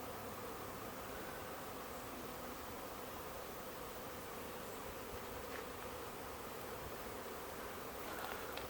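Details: Backyard honey bee swarm in Huntington Beach, thousands of bees gathering in a bush after following the queen, in search of a new hive; unbroken, thick humming buzz throughout.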